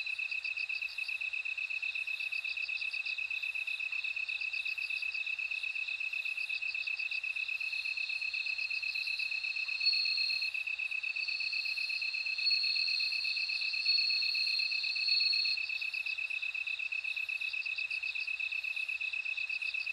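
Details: Bell cricket singing in a dense insect chorus: a steady high ringing tone runs throughout, overlaid by rapid pulsed trills and a brighter sustained whine that swells between ten and sixteen seconds.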